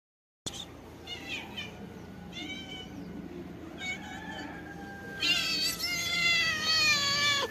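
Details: Female calico cat meowing affectionately: a few short, high, slightly rising meows in quick succession, then a much louder, long drawn-out meow that wavers and falls at the end, over a low steady background hum.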